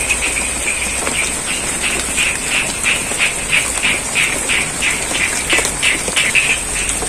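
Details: Frogs calling in rain in the middle of a rice field at Sidorejo, Cangkring, Ngadirojo, Pacitan, East Java, Indonesia; short croaks pulse steadily about three times per second over a constant hiss of falling rain.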